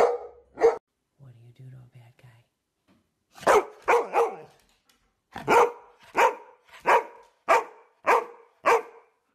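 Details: Golden Retriever barking repeatedly indoors in an excited series, about ten sharp barks spaced under a second apart, with a short low murmur of a human voice near the start.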